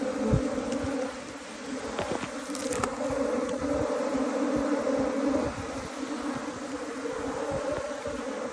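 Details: Asian honey bee (Apis cerana) colony rescued from a canal, clustered together inside with their queen, gives a steady, droning hum with two constant low tones, punctuated by scattered clicks and handling knocks.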